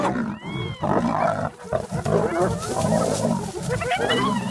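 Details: Spotted hyenas in South Africa's Kruger National Park, fighting lions over a buffalo kill. A high, swooping whoop opens the excerpt, followed by a continuous mass of low growls, groans and yelping giggles from several animals.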